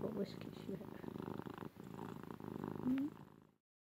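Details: Female domestic cat purring while snuggled: rough low purr continuing for about three and a half seconds with brief breath breaks, a person speaking softly over it, then silence.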